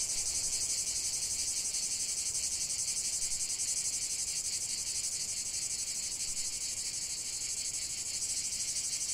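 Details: Chorus of cicada song, an unbroken piercing buzz with a fast, slightly uneven throb, holding its strength across the whole stretch.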